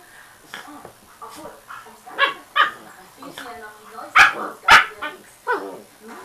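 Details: Father dog romping with his pups while they hang on his neck, the mother lying idle nearby. Short, sharp yips and whimpers come in scattered bursts, with two loud high yelps close together near the end, over a background of singing and music.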